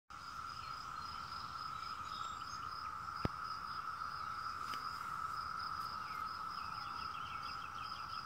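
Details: A chorus of 17-year cicadas trilling in the background: a continuous, unbroken droning trill holding one steady pitch, with a fainter higher shimmering layer above it and occasional soft clicks.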